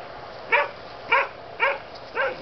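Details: Young German Shepherd pups, a litter of Aqua and Tiger born on 7/6/2012, barking in sharp bright yaps, four evenly spaced about every half second, clear above low hiss.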